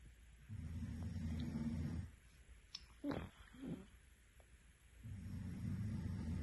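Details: Domestic cat asleep and snoring. Two long, low, rough snores bracket a quieter gap that holds a brief, higher nasal squeak and a soft breath.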